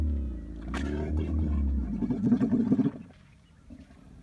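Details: Camel giving a deep, steady low rumble for about two seconds, then a rough, pulsing gargled roar that breaks into rapid throbs before fading into quiet background.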